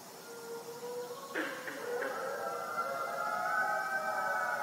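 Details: Many gray wolves howl together in long, overlapping, wavering tones that swell into a chorus; captive wolves at a wolf conservation center in South Salem, New York.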